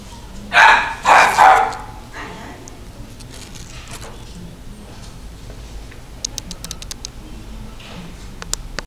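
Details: A female Toy Poodle lets out two loud, harsh barks in quick succession early on, followed by quiet clicks and faint tapping in an indoor room.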